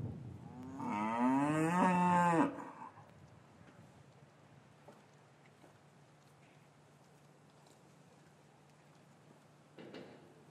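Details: Cattle in an English cattle yard on a winter's afternoon, calves separated from their mothers, recorded with a matched pair of Rode M5s: one loud, harmonic low moo lasting about two seconds, then quiet yard ambience with a faint sound near the end.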